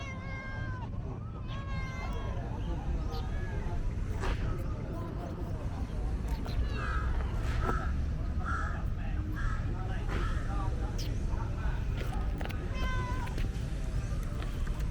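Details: Talkative female tabby cat meowing while being petted, letting her human know she wants petting; several short tonal meows come early, then a cluster of brief meows midway, over a steady low rumble and some voices.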